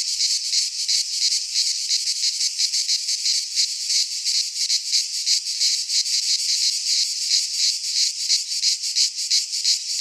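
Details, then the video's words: Greek pine forest cicadas in midsummer, many insects together producing an unbroken high-pitched sizzling buzz that throbs rhythmically roughly three times per second. "Cicadas singing in midsummer - Nature sounds from the Greek fauna - Sounds of cicadas"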